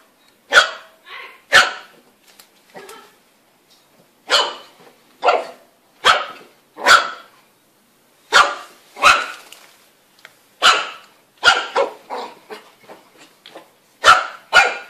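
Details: Puppies barking in crisp, high, snappy single barks spaced about half a second to a second apart, some coming in quick doubles, over a near-silent background.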